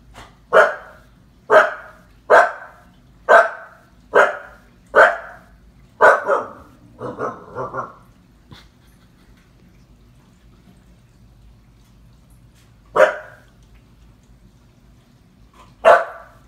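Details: Husky puppy, seven months old, scared of a clown paused on the TV, gives a fast run of seven punchy barks, then a rough grumbling groan, a long silence, and two more isolated barks.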